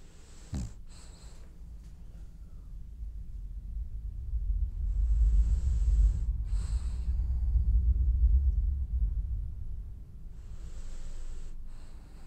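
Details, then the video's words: Dreaming French Bulldog breathing heavily in sleep: a sharp snort early on, then a long low rumbling stretch that swells and fades, punctuated by airy nasal hisses every few seconds, indoors with no other sounds. "Snoring French bulldog has dreams"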